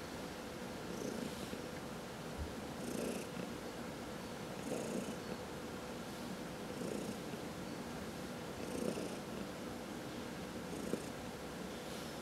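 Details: Cat purring during a massage, a low rhythmic rumble pulsing about thirty times a minute, each swell carrying a soft breathy hiss, steady throughout the twelve seconds.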